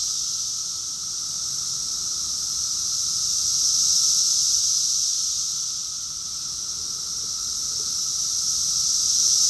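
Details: Many cicadas in chorus, Rockville, Maryland, USA, in June 2021: a steady high sizzling drone that rises in two slow waves of loudness, about five seconds apart, over a quieter steady hum.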